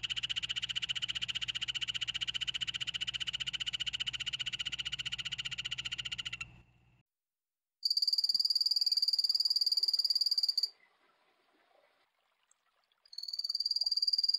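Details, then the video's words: Poison dart frog trills: a long rapid train of pulsed notes for over six seconds over a low background hum, followed by shorter, noticeably higher-pitched pulsed trains of about three seconds with quiet between. "5 popular poison dart frogs - call and sound"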